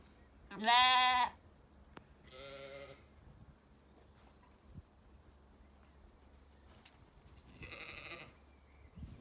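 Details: Sheep in an orchard on a sunny day, County Kilkenny, Ireland, with curious lambs close by: one loud nasal bleat, a softer second bleat soon after, and a faint third call near the end over quiet background.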